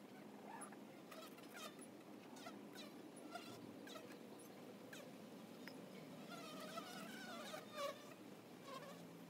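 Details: Honey bees at the entrance of a hive: a dense, continuous low buzzing from many insects, broken by scattered sharp clicks and short higher chirping notes throughout.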